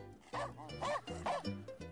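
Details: Dog; bark; asking for the ball someone is holding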